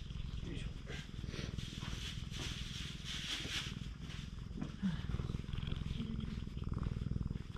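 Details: Stray cat being stroked on a cat island keeps up a constant low throbbing purr beneath a stretch of human speech in the middle, with a small squeak near the end; GoPro HERO8 Black recording.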